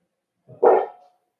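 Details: Cavalier King Charles Spaniels in a puppy pen on 12/13/22, puppies socializing with bigger dogs from the same home; a single short, sharp bark, preceded by a soft low grunt, in otherwise quiet surroundings.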